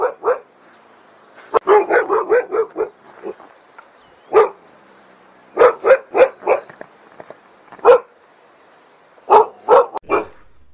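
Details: Husky barks, Siberian Husky breed, delivered in fast runs of four to six clipped barks separated by pauses, with single barks between the volleys.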